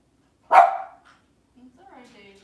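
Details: Cavalier King Charles Spaniel in a kitchen on a cloudy Monday morning letting out a single loud, abrupt bark, followed by a faint, tonal voice-like sound after a short pause.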